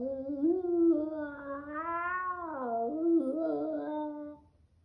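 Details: Rhodesian Ridgeback in a confused head-tilt moment, producing a drawn-out tonal howl that rises and falls smoothly, swelling in the middle, dipping briefly, then tapering off into silence.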